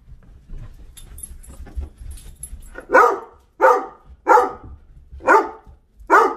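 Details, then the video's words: Doberman barking bossily, demanding to go in or out or for food or water; after a quiet stretch with faint rustling, five sharp barks come about every second in a steady run. "Doberman are so BOSSY!"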